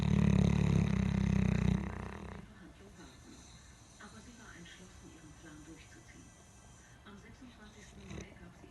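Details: Boerboel, a South African dog breed, snoring: a heavy, low, buzzing snore fills the opening two seconds, then the room falls quiet except for soft rustles and a faint click.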